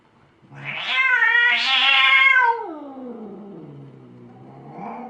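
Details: Angry cat letting out a loud strained yowl that climbs into a harsh high wail, then slides down into a long low moaning growl and ends with a short soft upturn.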